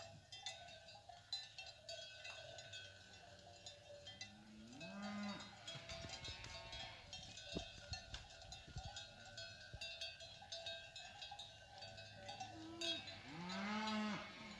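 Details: Wild-bred fighting cattle, cows with their calves coming down from the hills; several drawn-out, rising-and-falling moos, two near the start and one near the end, over constant clanking cowbells.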